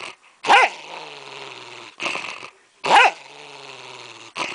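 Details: Domestic dog possessive over its candy cane bone, warning off its owner: sharp snarling barks burst out, each trailing into a low rumbling growl, repeated about every two and a half seconds.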